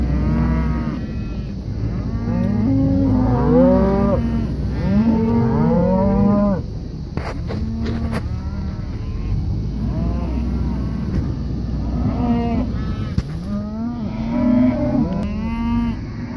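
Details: Herd of Red Angus pairs in Kansas bawling; loud, throaty moos with bending pitch come from several animals, overlapping and repeated through the clip, with a constant low background drone.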